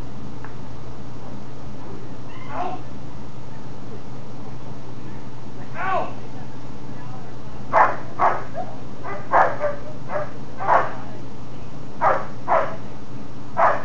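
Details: German Shepherd in Schutzhund protection-phase training, doing the bark and hold; after faint early sounds, sharp loud barks come in pairs and short bursts, about ten in the last six seconds, over steady low background hum.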